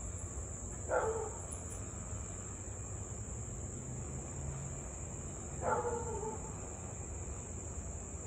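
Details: Husky in Louisville kept barking and howling for nearly half an hour on an August 3, 2021 evening. Two far-off barks with drawn-out, slightly falling tails, nearly five seconds apart, against constant cricket-like buzzing.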